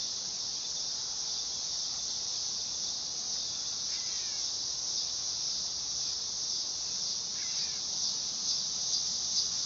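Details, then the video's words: Continuous high, hissing drone of a dog-day cicada (Neotibicen canicularis), even in loudness from start to end, with two soft, short bird notes sliding downward partway through. "Cicada sound / call / noise | Dog day"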